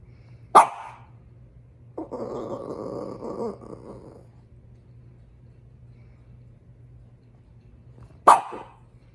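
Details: Female French Bulldog, upset about her toy: two sharp, loud single barks about eight seconds apart, with a rough, noisy grumbling burst lasting about a second and a half between them, in a quiet room.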